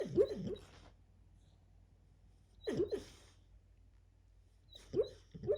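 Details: Sleeping dog dreaming of chasing a squirrel, letting out three muffled, breathy woof bursts about every two and a half seconds over a soft low hum.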